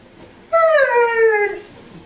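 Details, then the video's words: Indoor pit bull giving a single 'talking' howl of about one second. It starts at a higher pitch and glides steadily downward, clear and harmonic-rich, with silence before and after. "Funny Pitbull Dog Talking More Than A Husky"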